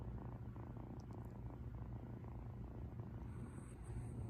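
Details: Purring of a female rescued cat lying relaxed beside a Shiba Inu household, recorded loud: a steady low rumbling throb with rhythmic pulses, faint high whine near the end.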